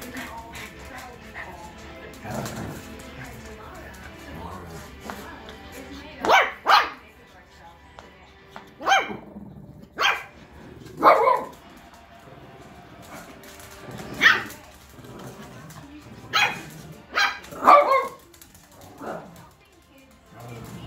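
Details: Two Shih Tzus, one 3 months old and one about 10 years old, play and bark in sharp, short yaps in irregular bursts, with faint voices and music behind.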